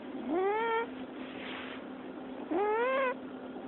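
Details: Domestic cat squeaking in its sleep: two rising, squeaky meow-like calls about two seconds apart, each bending upward then leveling, over a steady low hum.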